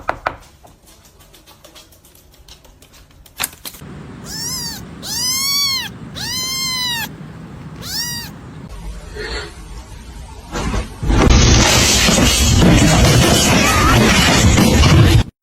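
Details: A domestic cat gives a quick run of four rising-then-falling meows, the middle two long and loud, followed by a short human remark and then a loud rushing, hissing noise.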